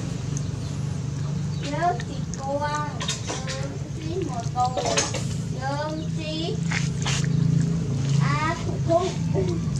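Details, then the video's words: Hungry puppies nursing from their mother: a stream of short, rising, wavering squeaks and whines overlapping one another, several a second, over a low room hum. "Puppies are so hungry and get milk for mommy"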